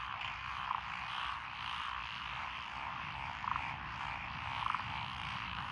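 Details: Lotus paddy frogs near Echizen, Fukui, Japan, recorded 12 June 2021; an unbroken background chorus of croaking, with a few louder, sharp clicking notes standing out now and then over a low rumble.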